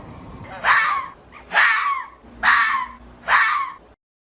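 A fox gives four harsh, raspy screams, each about half a second long, spaced just under a second apart.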